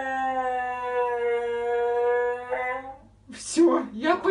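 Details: Crazy, hyperactive Siberian Husky sustains an even, rich howl for roughly three seconds before it cuts off into scattered whimpering and noisy bursts.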